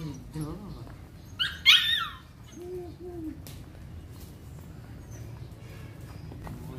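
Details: Belgian Malinois named Hunter during an introduction to bite work training: one loud, harsh, bark-like burst near the two-second mark, with a person talking before and after and a brief low tone following.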